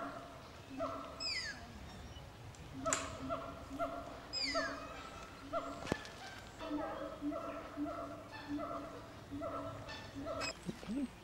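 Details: Young Brazilian tapir squeaking at Cotswold Wildlife Park in Oxfordshire on 6 September 2016: a long series of reedy tonal squeaks, several high downward-sliding whistles, and a sharp click partway through.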